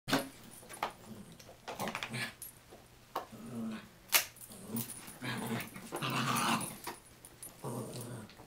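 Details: Fifi, a chihuahua-mini pinscher mix, and Adina, a toy fox terrier-yorkie mix, play together indoors in an office in March 2011; scuffling thumps, bursts of low growling and short noisy vocal bursts mix with sharp clicks of paws and movement.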